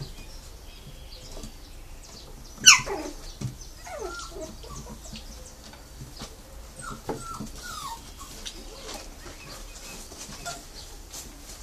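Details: Brazilian Terrier (Fox Paulistinha) puppies of litter M at a kennel in Joinville, Santa Catarina, Brazil: one sharp, loud yelp sliding downward, then scattered soft, thin whimpers falling in pitch, over low rustling and handling noise.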